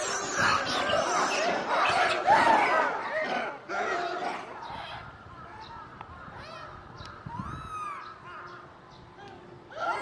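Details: Monkeys at a zoo raise a loud, overlapping chorus of harsh screams while watching staff bring food, fading after four seconds into scattered calls and a few clear arching shrieks near the end.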